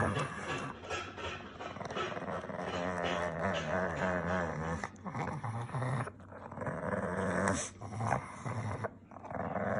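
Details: Indoor Pekingese, upset, making a continuous low throaty growl with raspy hissing mouth sounds, swelling and fading over several seconds, a few brief whimpery notes.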